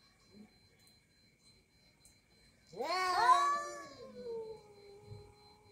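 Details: Angry orange domestic cat in a quarrel with another cat: after near silence, one loud, harsh yowl bursts out and then trails off into a long, fading, steady moan. A faint electrical hum sits in the background.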